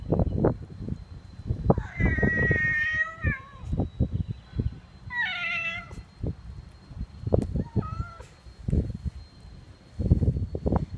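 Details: A cat that is said to prefer chicken bones over ordinary cat food meows while eating them: two drawn-out, harmonic-rich meows, each falling at the end, then a shorter one, amid loud crunching and gnawing of bone.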